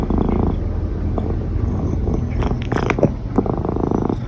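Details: Domestic cat purring while hiccuping: a steady low rumbling purr throughout, broken by brief sharp clicks near three and three and a half seconds.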